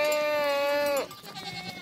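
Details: Goat bleating as a mother goat meets her kid: one steady, strongly harmonic bleat held for about a second, breaking off with a short downward slide, followed by faint rustling.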